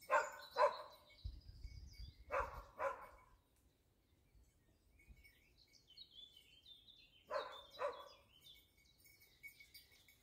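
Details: Dachsbracke barking in hunting training on wild boar: paired barks separated by long quiet gaps, with birds whistling and chirping in between and a faint steady tone throughout.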